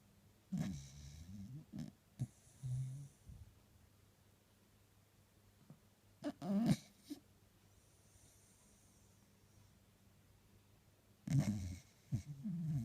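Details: Pet Jack Russell Terrier asleep and dreaming on a couch on a lazy Sunday, giving low rumbling snores and snorts in short bursts, separated by long quiet stretches, with breathy hiss in between.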